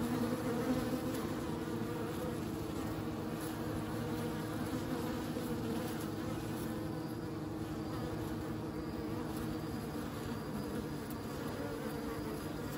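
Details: Many bees humming together in a low, sustained buzz, slightly louder at the start, with faint passing wing flutters over the steady drone.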